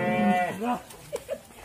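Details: A raging sacrificial bull gives one short, harmonic moo lasting about half a second and dipping slightly at the end, followed by a brief lower grunt, with faint voices and handling noises around it.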